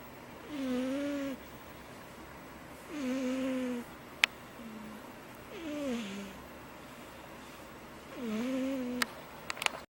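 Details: A cat from a family of cats gives a loud, high snore of four whistled, wavering breaths spaced a couple of seconds apart, with a short low hum and a few sharp clicks near the end.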